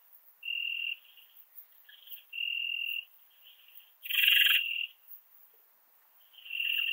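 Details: Rhacocleis annulata, the ringed bush-cricket, recorded at Biedermannsdorf in Austria on 8 August 2022: steady half-second buzzing bursts, with fainter scratchy fragments between them and one louder, harsher burst in the middle.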